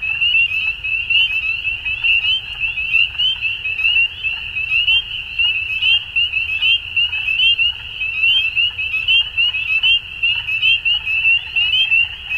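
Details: Many frogs call together at dusk in an unbroken, high-pitched trilling chorus. Overlapping pulses rise and fall in loudness in irregular waves, with a soft low murmur underneath.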